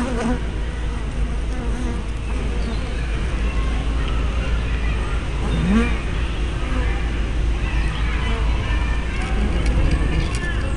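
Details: A crowd of honey bees at their hive entrance makes a thick, constant drone, with rising and falling whines as single bees fly near the small spy camera.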